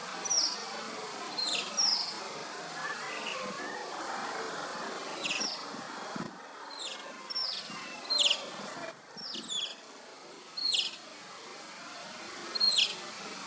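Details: Asian small-clawed otter pups at play: sharp high chirping whistles, each a quick downward sweep, come singly or in pairs about every one to two seconds over a steady low background hiss.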